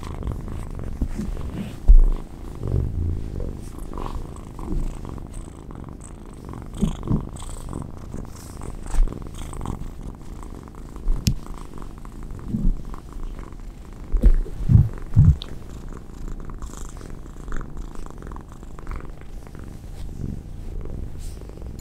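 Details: A male Munchkin short-leg kitten, born October 2019, purrs steadily, a low continuous rumble with occasional louder throbs.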